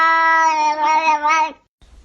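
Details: A domestic cat 'talking' with a long, steady, strongly harmonic meow lasting about one and a half seconds, its tone wavering slightly near the end before it stops abruptly; faint rustling follows.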